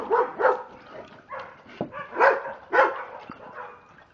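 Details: Pair of pet Dobermanns getting worked up. A handful of separate mid-pitched barks arrive in uneven pairs, with brief softer grunting sounds between them.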